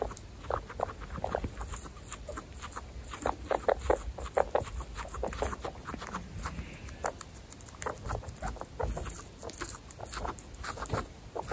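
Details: Pet guinea pigs of Butter's family, part of a household of 27 guinea pigs, giving rapid trains of short clicking, chattering pulses in irregular bursts, with a few louder squeaky notes over a steady low rumble.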